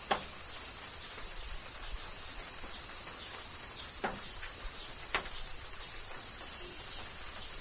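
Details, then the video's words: Summer rain in Kyoto, Japan, with cicadas droning continuously in a high, even buzz, while scattered crisp taps of falling drops land every second or so. "Cicadas Summer Rain - Zen Sounds of Kyoto, Japan"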